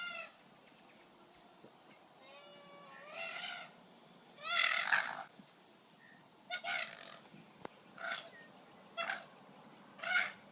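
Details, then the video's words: Two male koalas fighting ferociously on the ground in a wildlife sanctuary after a branch broke, giving harsh squeals and wavering wails in irregular bursts, with scuffling and steady background hiss. "There's that branch on the ground, and those koalas are now fighting on the ground, and you can hear"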